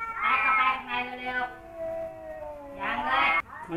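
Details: Rival male housecats Kaopat and Ronja, one newly taken in, confront each other. Wavering, drawn-out yowls swell and fade, steady tones hold between loud bursts, and a person speaks nearby.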